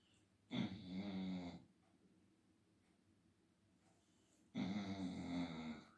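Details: Labrador Retriever asleep indoors around 5 pm in the afternoon, after sleeping through the night. It gives two loud, rasping, buzzy snores, each about a second long and about four seconds apart, with quiet breathing between them.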